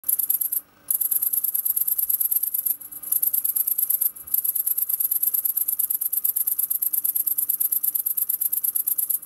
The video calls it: Grasshopper / Cricket singing